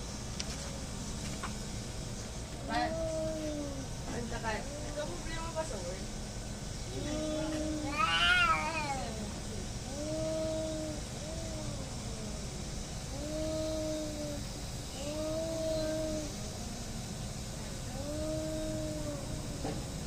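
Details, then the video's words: Cats fighting: low moaning yowls repeated about every two and a half seconds, broken by a sharp shrill screech, with a person speaking in the background. "cat fighting, hating each other"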